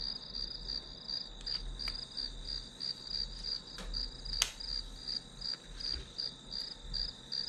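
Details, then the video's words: Grass insects keep up a high, buzzing pulsed chirp about three times a second while a few sharp taps and clicks break in near the middle. "풀벌레 소리"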